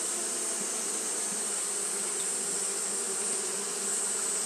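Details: Fanning Japanese honey bees on a hot day, giving a continuous droning hum of layered wingbeat tones that barely changes, with a steady high-pitched hiss behind it.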